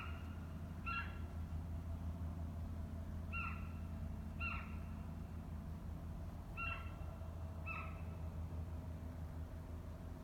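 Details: Hokkaido sika deer, 7 November 2017, giving brief high tonal calls, sometimes in quick pairs, spaced a second or more apart against a steady low-frequency hum.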